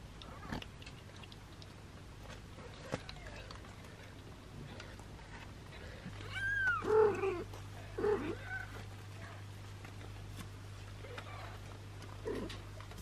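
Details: Sheltered mother cat Tessa, long-haired British, with her three kittens and an abandoned kitten indoors: a rising-then-falling meow near the middle, then a few lower, shorter mews, over a constant low electrical hum and faint rustling.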